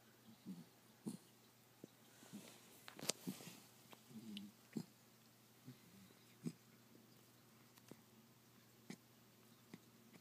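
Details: Five-month-old Pembroke Welsh Corgi puppy named Sprite, asleep indoors, snoring: short low snuffling snorts at uneven intervals of one to two seconds, with a few sharper clicks and breaths in a quiet room.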